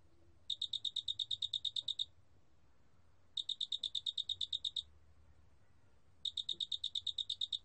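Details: Three trains of rapid, clicking high-pitched pulses, roughly thirteen per train, from a large spotted cricket; each train runs about one and a half seconds with nearly two-second pauses between. Recording from the National Institute of Biological Resources, 2020.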